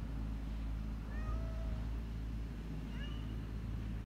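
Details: Young stray tortoiseshell kitten wailing from hunger at its carer, two thin, high meows, the first sliding downward, the second rising then falling, set against a constant low mechanical hum.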